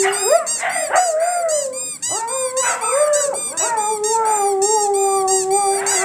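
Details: Pet Siberian Huskies howling after a squeaky toy: opens with short rising yelps and choppy bark-like notes, then settles into a sustained, slightly wavering howl with several dogs overlapping.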